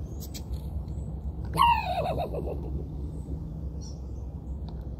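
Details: A raccoon gives one loud, abrupt bark with a rich harmonic edge. It drops in pitch and breaks into a quick wavering tremble over about half a second, then quiet low rumble continues with faint ticks.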